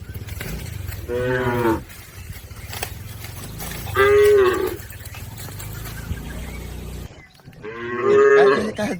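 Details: Herd of village cattle crossing a river on the way to the farm pen; three long harmonic moos near 1, 4 and 8 seconds, each lasting under a second, over a steady low rumble of background noise.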